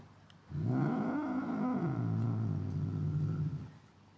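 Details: Angry cat giving a low, steady rumbling growl lasting about three seconds, with a slight rise and fall in pitch, recorded indoors with little background noise.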